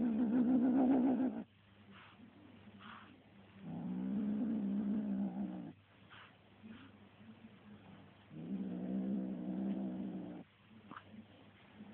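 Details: Kitten growling while attacking a feather toy: three long, low, rough growls of one to two seconds each, with a steady harmonic buzz around low pitch and quiet pauses between them.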